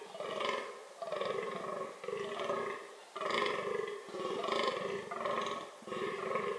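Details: Reproductive behaviour of the fallow deer (Dama dama): loud, raspy belch-like groans, about seven in a row, spaced roughly a second apart, each swelling and fading quickly.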